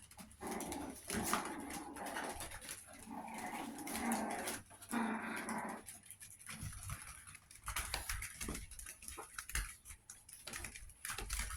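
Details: Chihuahua puppies, 61 days old, growl in low, rough rumbles during the first six seconds, then quieter scuffles and shuffling fill the rest against a steady background hiss.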